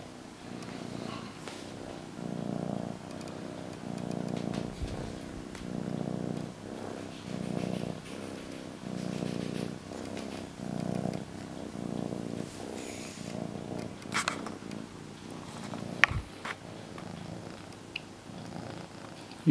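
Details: Pet cat purring contentedly with her blanket indoors; steady low rumbling purr pulsing in rhythmic cycles roughly every second and a half, with a few sharp clicks and rustles toward the end.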